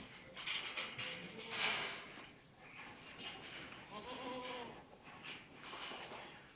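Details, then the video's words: Farm goats bleating: a few short, wavering, quavering bleats, one clearer near the middle, over steady background hiss and scattered noise. "goat farming goat sound animals video"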